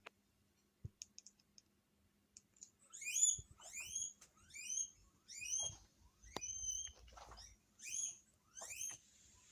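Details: Guinea pigs kept as pets in a multi-animal Hokkaido home, reacting to an unfamiliar guinea pig's voice played from the TV: after a quiet start with a few clicks, about seven shrill, upward-sweeping whistled wheeks come in a row.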